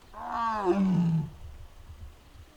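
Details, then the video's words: A single brief moan, about a second long, from Mugung, a six-year-old captive tiger at the Tiger Forest in Bonghwa, Korea, recorded on an April 2026 afternoon; the voice slides downward and fades into low rumble. "무궁이 아프다? 알코올 먹고? 이상한 소리들"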